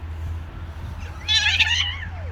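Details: Male street cat pressing a female to mate: one strained, harmonic yowl that swells and then slides downward in pitch, set against a constant low urban rumble.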